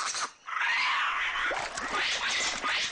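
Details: Harsh, rasping alarm calls from white-faced capuchins (Cebus imitator) by a stream in Costa Rica burst out in quick succession, a warning to the troop of a snake.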